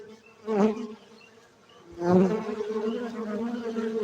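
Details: Buzzing honey bees at a hive site in Bener Meriah, Gayo, Aceh, Indonesia: two loud close fly-bys, the second merging into a sustained droning hum that stays strong to the end.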